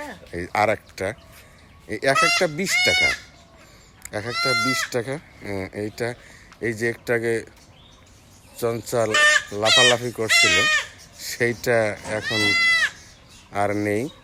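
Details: Goat kids bleating in loud, quavering, arched cries during castration by knife, a practice locally called chhat deoya; the calls come in bursts separated by pauses, mixed with human voices talking nearby.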